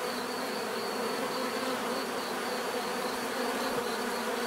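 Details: Bees in a natural setting, recorded for relaxation: a dense, steady hum of many overlapping wingbeats, with a faint high whine holding level throughout and no other animals or voices.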